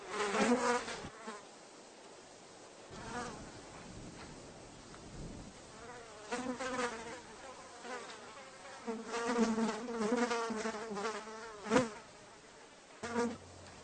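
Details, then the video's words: A housefly's low humming buzz comes in scattered bursts of varying length, pitch wobbling, separated by quieter spells and a few brief sharp passes. "housefly sound effect"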